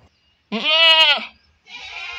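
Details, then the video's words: A goat from a herd shut in the shed early bleats loudly while the owner tends another goat that ate pesticide: one long, wavering, nasal bleat of about three-quarters of a second, then a fainter, rougher second call. "ఆ మిగిలిన మేకలన్నీ చాలా అరుస్తున్నాయి. ఎందుకంటే మేకల్ మాతకి తీసుకెళ్లి"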